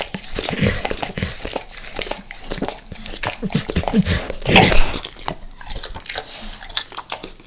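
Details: Indoors in El Paso, the dog Max laps eagerly at natural peanut butter and its oil. Thick, slurping lick sounds come in irregular bursts, with a heavier wet smack near the middle.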